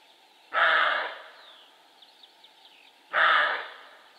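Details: Two hoarse, drawn-out barks from a male roe deer about two and a half seconds apart, each raspy and fading at the end, with faint birdsong behind.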